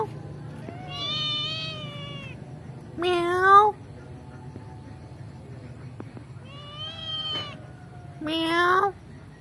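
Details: Kitten in a family home meowing back at its owner: alternating long wavering mews and sharper rising meows, four calls in about nine seconds, with a low hum in the background.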